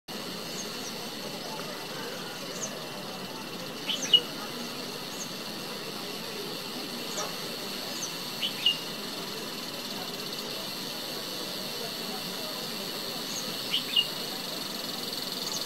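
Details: Cicada in Himachal Pradesh, India, giving a thin, steady high-pitched drone that runs unbroken through the recording, with a few brief sharp bird chirps now and then.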